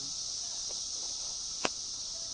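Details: Periodical cicadas in their 2007 emergence after 17 years underground, described as extremely loud: a dense, unbroken high-pitched hum that stays level throughout, with one sharp click just past the midpoint.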